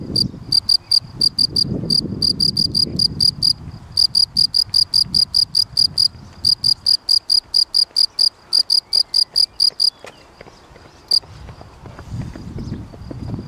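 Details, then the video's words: Field cricket, Gryllus campestris, chirping: loud, piercing, evenly repeated high pulses of about two or three per second for ten seconds, then a pause, with low murmuring noise in the background. "Gryllus campestris / Grille / Kilkerra"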